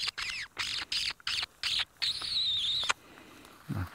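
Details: Dwarf mongooses, seen at sunset on a live African bush safari drive in May, give rapid, shrill chirping alarm calls in quick bursts after running into cover, then one longer high whistled note, followed by a brief low voice; hornbills were following them.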